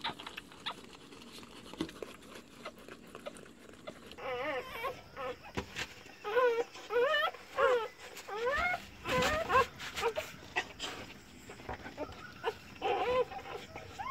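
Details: Newborn cross-breed puppies of a Rottweiler and an Indian pariah dog, heard as their mother gives birth: thin, wavering, rising and falling squeals in quick bursts, louder from midway, with faint rustling and background noise.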